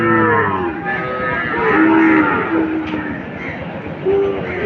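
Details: Calf lowing at Setabganj market in Dinajpur on 24 June 2024, among Deshi and Sahiwal calves: a deep opening moo, then drawn-out low tonal calls repeated over a murmur of market voices.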